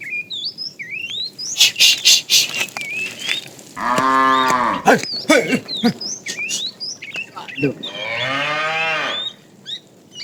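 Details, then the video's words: While tame cows are herded in the afternoon, a fat cow calls to the female with two wavering, rising-and-falling moos, amid clicks, footsteps and frequent bird chirps. "The funny sound of a fat cow calling the female"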